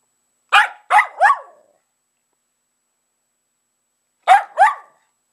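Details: Pet dog barking while playing with old shoes: a quick burst of three sharp barks, a pause of about two and a half seconds, then two more barks in close succession.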